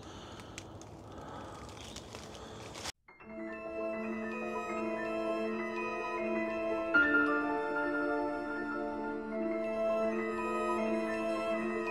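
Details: Soft mallet-instrument music with sustained ringing tones follows a few seconds of broadband noise; no animal sounds are heard.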